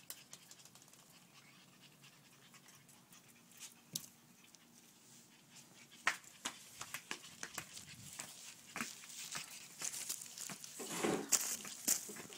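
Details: Panting French Bulldog puppies during play, quiet breathy rhythm early on growing into busier scuffles, clicks and bumps in the second half, with faint speech in the background.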